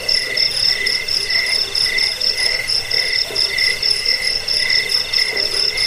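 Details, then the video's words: Cricket sound intended for scaring rats and training cage birds: sharp, high pulsed chirps in rhythmic bursts a little over two per second, over a faint underlying buzz, no other noises. "Suara jangkik pengusir tikus pengantar tidur"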